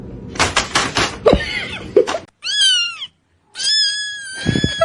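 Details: Domestic cat giving two clear, drawn-out meows, the first arching up and down, the second long and level. Thumps, clatter and background noise come first.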